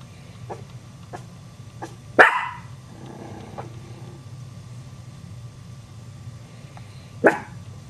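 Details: Dog barks that startle Chihuahua puppies: one loud sharp bark early on and another about five seconds later, separated by faint soft yips and a continuous low background hum.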